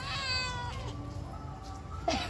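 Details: A talkative house cat answering as its owner speaks to it: a bright, strongly harmonic meow opens, then slides down into a lower, steadier drawn-out tone, with a sharp knock near the close.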